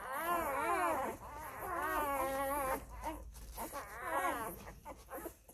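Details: Labrador Retriever puppies of the F litter nursing from their mother Molly. They give long, wavering, warbling whines in two drawn-out bouts, then shorter broken squeals near the end. Indoors, with faint rustling.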